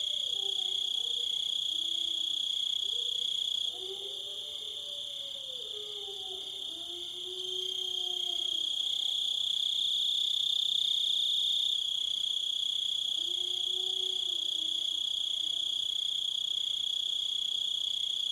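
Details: Crickets trilling in a constant high chorus while wolves howl at lower pitch, with several overlapping gliding, wavering howls early on and a few more near the end.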